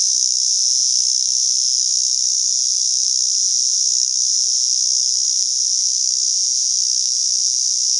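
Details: American swamp cicada, a 32 mm cicada from the USA, producing a loud, continuous, high-pitched buzzing drone that holds steady without a break throughout.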